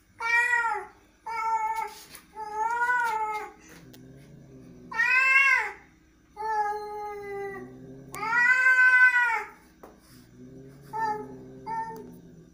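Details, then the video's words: Cat sounding angry, alternating short clipped meows with long rising-and-falling yowls, and low growls filling the gaps; about eight calls across twelve seconds indoors. "angry cat"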